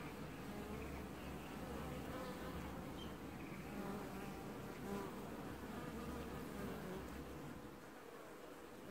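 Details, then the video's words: Washboarding honey bees at their hive in an apiary, early July 2019: continuous layered buzzing with a low humming undertone and steady tonal bands, easing off slightly in the last second. "Washboarding Bees & Ambient Sounds"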